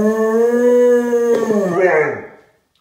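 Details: Molly, a rescued Labrador, howls along with a trombone as a sixth-grade boy practises his first notes at home; a long steady tone with rich harmonics holds, then bends and breaks into a wavering rising-falling howl before fading out indoors.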